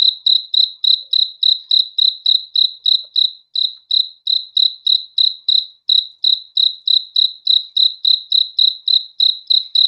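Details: A cricket at night sings an unbroken series of high, ringing chirps, about three per second, each made of rapid pulses, with only tiny pauses and nothing else audible.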